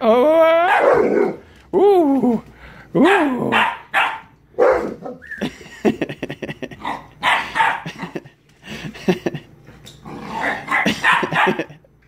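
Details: Siberian Husky puppy about 11 weeks old, one week in a new home, playing with a Mastiff at the end of the day: drawn-out, wavering harmonic yowls and whines, then a string of short sharp barks and yips, with a woman's voice nearby.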